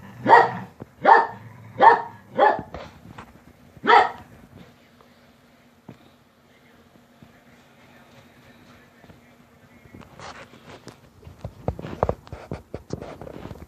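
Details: Dogs barking to get mom out of bed: five sharp, loud barks in rapid succession over the first four seconds, then a quiet stretch before scattered clatter and shuffling noises.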